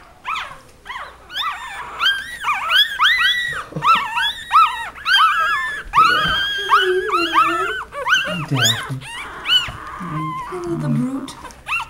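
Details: Daisy, a mother dog, with her puppies Aiden, Britt, Caleb and Daphne, wrestling; dense high, arching squeals and yelps from the pups tumble over each other, with a few lower growls and a voice briefly heard.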